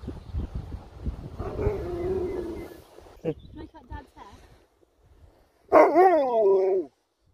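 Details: Loud, wavering, harmonic howl from Sherpa the Alaskan Malamute, lasting about a second after a pause, preceded by a longer, lower moaning vocalization and some clattering, with a person speaking at the start.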